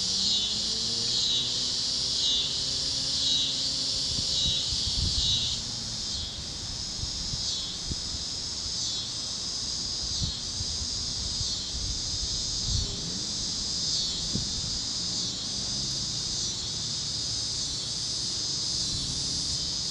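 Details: Cicadas chirping over the fields of Kansas at sunset, warm evening with other critters singing; a high shimmering buzz that rises and falls in regular waves, with a brief whistled tone early and scattered soft knocks.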